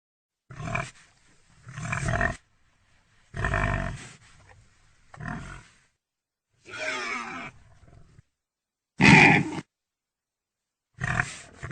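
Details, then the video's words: Pig grunting in short rough bursts of about half a second to one second, spaced by brief silences, with one sharper squealing note near the end among the low, throaty grunts. "real pigy sound effect"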